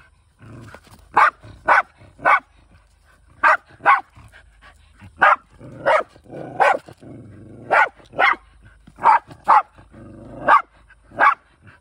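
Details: A Shiba Inu barking while hunting in the countryside, shared home with other dogs; around fourteen crisp barks, often doubled or tripled, with soft whimpering in the pauses.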